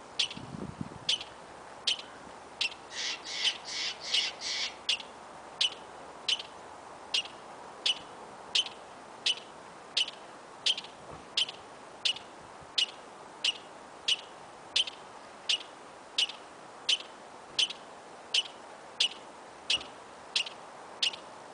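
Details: A squirrel in Yosemite gives an unusual call of sharp, high chips, repeated steadily a little faster than once a second; the observer wonders whom it is calling and suspects it may be a male.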